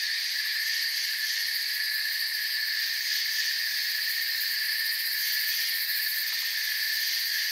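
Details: Forest crickets keep up an unbroken, high trilling wash of many overlapping chirps, layered in bright bands and level in loudness from start to finish.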